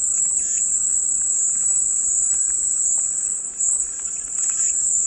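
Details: Dense, high-pitched cicada buzz holding steady, with a slight wavering in the middle and quiet chirps far beneath it.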